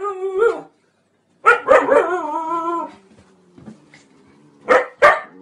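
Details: Barking Siberian Husky: a drawn-out tonal yowl between short barks, with a pair of sharp barks near the end and quiet gaps between.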